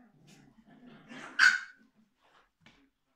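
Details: Tuppence, a female Biewer Terrier puppy, watches herself in a mirror while being brushed and gives one short, sharp yelp, with soft murmuring before it and quiet after.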